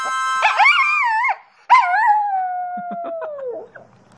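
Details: Pet dog singing with harmonica music: two loud wavering howls, the second drawn out and slowly falling in pitch, followed by a few soft whimpering yelps as the howl fades.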